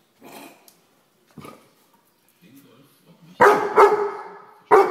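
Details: A Weimaraner gives a few loud, sharp barks after some quieter murmurs and a voice, scolding a common housefly.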